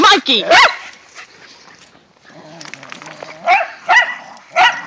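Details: Whippets and a rat terrier romp in the first light snow of the season: high, rising yelps open, then a quieter stretch with a person's voice, then three short sharp barks spaced about half a second apart.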